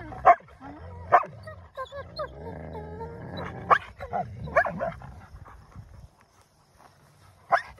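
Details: Two wolfdog puppies squabble over a prized possession, mixing low rumbling growls with sharp yelps and thin whines; bursts come irregularly about once a second, with a quiet gap near the end.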